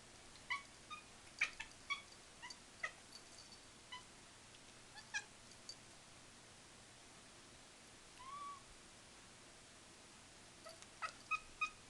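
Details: Two female kittens, 47 days old, newly adopted into a home, give their strange-sounding cries: short, high, thin mews with clear overtones, scattered irregularly among soft clicks and rustles over a steady low hum.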